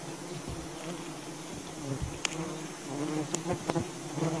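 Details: Wild bee colony disturbed during honey hunting, a steady low droning hum with layered harmonics throughout, broken by sharp clicks and knocks from handling near the nest.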